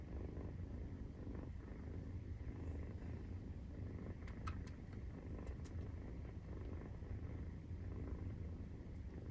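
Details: Maine Coon cat purring at nursing time, 43 days after the kittens' birth, indoors with a family of cats; a steady low rumbling purr pulses continuously throughout, with a few faint soft clicks midway.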